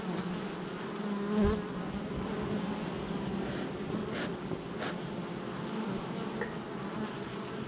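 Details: Honey bee hive entrance activity, July 22nd, 2024: a constant low buzzing of many bees, a single bee passing louder around the first and a half seconds, and a few soft clicks.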